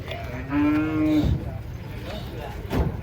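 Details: Giant cattle, warned as fierce, being taken off a truck; one steady, level moo lasting under a second, followed by thuds and rustling handling noise.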